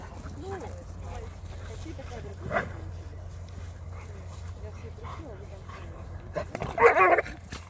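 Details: Cane Corso and American Staffordshire Terrier playing together; a loud bark bursts out near the end after quieter whimpers and yips, with people talking and a steady low hum throughout.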